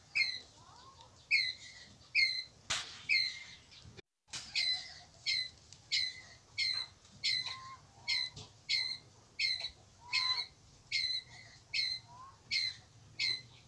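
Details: Pallas's squirrel, a red-bellied squirrel, calling its group: a long run of loud, harsh chucks repeated about every three-quarters of a second. There is one short cut near the start, and faint whistled notes sound behind.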